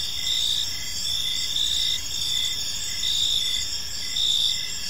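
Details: Chirping crickets fill a calm evening park with a sustained shrill trill, punctuated by brief repeated pulses near one per second, and a gentle low hum of distant surroundings.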